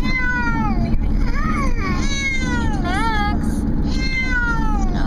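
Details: Unhappy male cat riding in a car: loud, drawn-out whining meows, each swooping up then down, follow one another almost without pause over constant road rumble.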